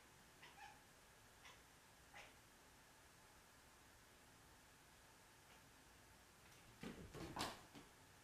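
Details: A Siamese cat (Felis catus) barks at a laser beam in short, clipped bark-like yelps, a few soft ones and then a louder burst.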